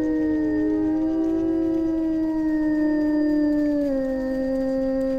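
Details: A pack of gray wolves (Canis lupus) in jungle howls together in long, steady, mournful tones that slowly sink in pitch.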